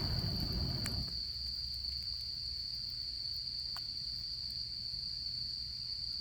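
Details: Autumn insects at a campfire during autumn camping season: one continuous, steady, high-pitched trill runs throughout, with sharp crackles and pops from the fire and a soft low rumble, louder in the first second.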